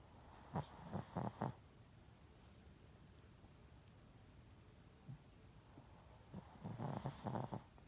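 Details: A pet Shih Tzu snoring loudly in low, rattling bursts separated by a long quiet pause.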